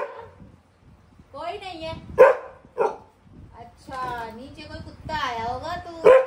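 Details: Indoors in Delhi, the Labrador Max gives a few loud, abrupt barks, two close together and one near the end, apparently at another dog outside. Long stretches of a woman's soothing talk fill the gaps.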